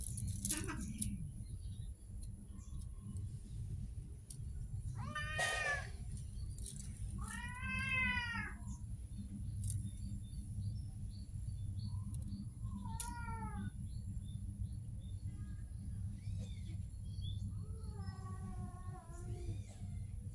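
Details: Street cat meowing repeatedly, four separate rising-and-falling meows spaced several seconds apart, the last one lower and drawn out, against a constant low hum of outdoor noise.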